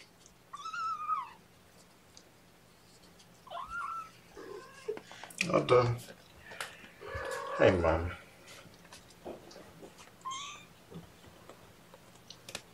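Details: Young kittens at a morning feeding, bottle-fed formula by syringe while held in a lap: thin, high meows rising then falling, one near the start and another near the end, with a person talking in between.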